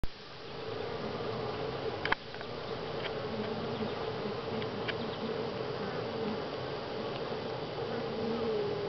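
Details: Honey bees at Grass Lake Sanctuary, week 6, recorded July 25, 2011: a steady, dense hum of many wings, with a low drone and a brighter mid-pitched band, broken by one sharp click just after two seconds.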